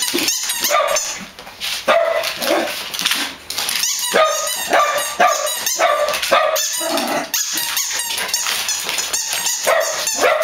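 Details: Dogs bark continuously, with loud overlapping woofs and some higher yelps crowding together in quick succession and hardly a gap between them.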